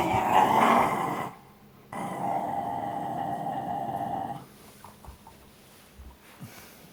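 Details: Shiba Inu dogs named Koma and Shiromi wrestling over a ball indoors in play; a sustained rumbling growl of about a second, a brief pause, then a longer steady growl near two and a half seconds, followed by soft scuffles.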